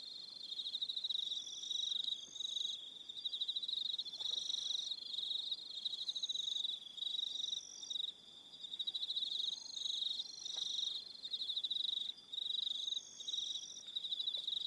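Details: Crickets at dusk on Aroha Island, New Zealand, a thick layered chorus of high, rapid, pulsing trills that holds steady throughout, with higher voices cutting in and out in short bursts.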